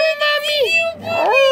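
A Siberian Husky puppy howls in a high, wavering tone that dips and then rises again.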